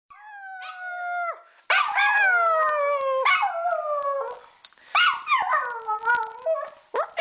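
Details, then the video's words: Pet female dog howling, sometimes mimicking her owner's howled "I love you"; long harmonic-rich tones sliding downward, several separate howls with brief pauses and short yips between. "Dog Howling"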